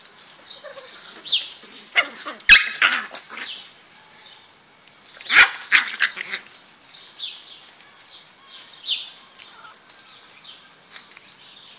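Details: Eight beagle puppies playing together: sharp high yips and squeaky barks burst out near the third and sixth seconds, with thin whines, squeals and soft grunts scattered between them and quiet pauses in the play.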